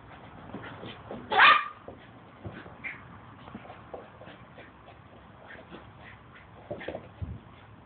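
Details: Chocolate poodle Lucy, 18 months old, during a game of football with a ball: one sharp, high yelp near the start, then soft taps, light thumps and a low knock toward the end.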